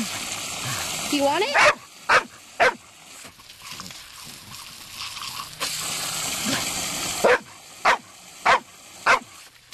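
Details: Female Labrador Retriever on a warm day, playing with a garden hose after agility, barking to demand water. A woman speaks encouragingly, then sharp barks come in a group of three and a later group of four.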